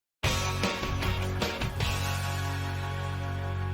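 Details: A short burst of music with strong low tones and no animal sound.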